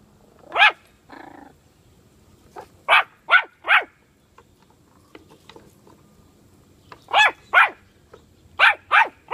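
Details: Puppy with bully sticks giving sharp high barks in clusters, a low growly grunt early on, then quiet before more bursts of two to three quick yaps near the end.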